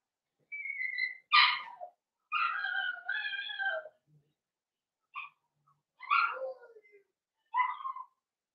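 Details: Blenheim Cavalier King Charles Spaniel puppies from a litter of five born at New Year to Paris and Spike, in an indoor puppy pen: high tonal whines and yelps in short bursts with pauses between, little else audible.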